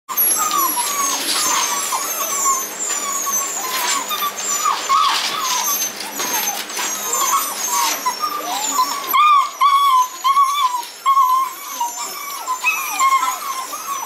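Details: Several Great Dane puppies go wild in their pen while it is being cleaned, whining and yelping in high, overlapping bursts during rowdy play.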